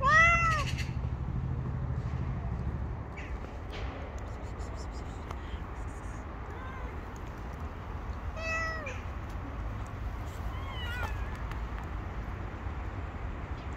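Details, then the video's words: Stray street cats, a tabby and her gang, gathering to demand food: a few short rising-falling meows at the start, more around eight and eleven seconds, over low steady outdoor rumble. "Tabby cat and her cute gang gather around me and demand food from me."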